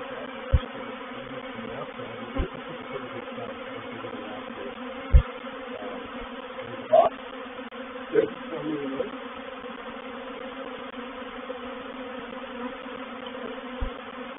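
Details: Reproductive honey bee swarm moving into a swarm trap at Painted Peacock Manor, 04/07/21; steady humming drone underlies about half a dozen scattered clicks and knocks, with a brief louder burst midway.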